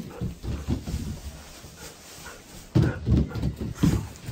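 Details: Hatch, an eight-year-old female Golden Retriever, squaring off against mama indoors: low, throaty grumbles rising into three rough, deep woofs close together near the end, over a soft room rumble.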